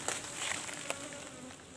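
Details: Asian honey bees at a cultivated hive box during their second honey harvest, the box being opened; a soft droning buzz runs beneath hissy handling noise and a few sharp taps.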